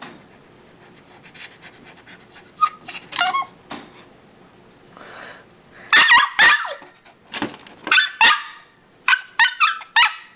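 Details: Odin, a pet dog, protests in his crate instead of taking his afternoon nap, wanting to keep playing with his toy mouse; sharp, high yips and whiny barks come in quick irregular bursts amid rattling and scraping in a small room.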